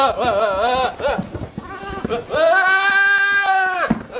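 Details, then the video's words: Goat with a shaky, wobbling call followed by a long, steady, nasal bleat that lasts about one and a half seconds before cutting off. Background noise runs throughout. "WEIRD GOAT SOUNDS"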